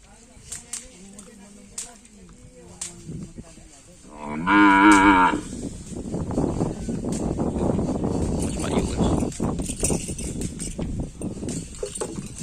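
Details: Cattle at karapan sapi bull race training on the Gulbung field: one loud, drawn-out wavering moo lasting about a second with rich harmonics, preceded by faint distant lowing and followed by a steady rumble of crowd noise and voices.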